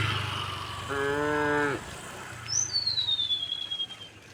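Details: Herd of tame cows walking a rural village path toward rice fields, a single short flat moo followed by a long descending whistled bird call and soft chirps.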